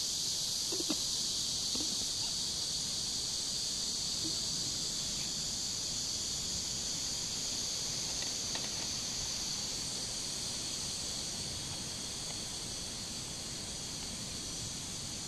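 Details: Summer cicadas by the river, recorded 23 July 2015, keep up a steady high-pitched hissing buzz that fades slightly toward the end, while faint scattered knocks and soft sounds come from lower down.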